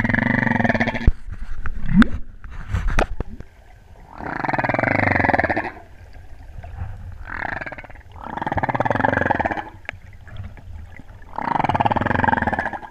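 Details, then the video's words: Humpback whale song off Hawaii's Big Island during the spring equinox total solar eclipse of 2015, met while freediving: a series of long, rough, droning groans, several seconds each, separated by short quieter gaps. "Spring Equinox Whale Song 2015"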